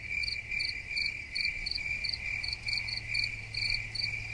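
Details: Brief stretch of cricket chirping for tinnitus relief, with bright pulsed chirps in quick groups over an unbroken high-pitched buzz, roughly two and a half pulses per second, and a low background hum.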